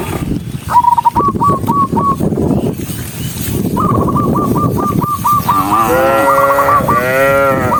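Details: A large herd of tame cattle, tens of thousands walking together, lows repeatedly: long harmonic moos that waver and overlap as different animals call, over a steady low rumble of movement.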